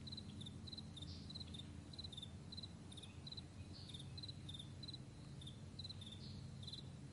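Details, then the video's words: Crickets on a vast meadow in the morning, giving short high pulsed chirps in quick bursts, several every second, steady throughout, over a constant low rumble. "Morning Crickets"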